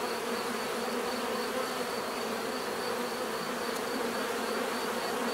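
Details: A thick, unbroken hum of bees buzzing naturally, many wings blending into one smooth, even drone for the whole stretch.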